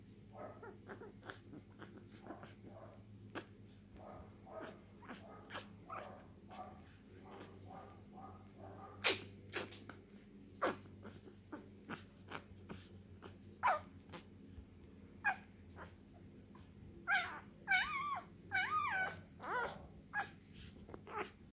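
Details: One-day-old blue tri male English Bulldog puppy; soft irregular squeaks and snuffles, rising to louder high whining cries near the end, over a steady low hum.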